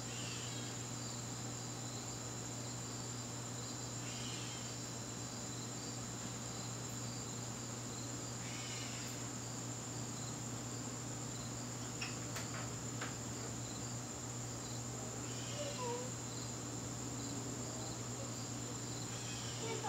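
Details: Crickets in a garden on a September evening keep up a steady high trill while a loud low hum drones throughout, with occasional whooshing noises and sharp clicks and taps.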